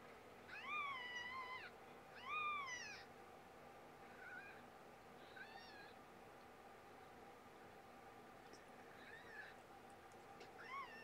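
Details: Domestic cat giving loud, high, arching meows with rich overtones, two strong calls close together, then several fainter, shorter meows spaced a few seconds apart over a steady low hum.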